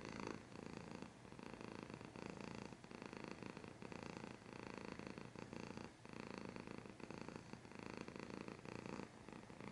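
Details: A cat's close purr, dense vibrating rumble held almost without pause, brief dips roughly every one to two seconds as it breathes, faint soft background hiss.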